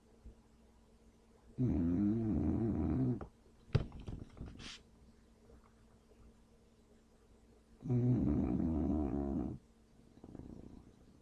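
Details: English Bulldog snoring deeply while asleep and not waking up: two long, droning, nasal snores about six seconds apart, with a few faint clicks and rustles between them.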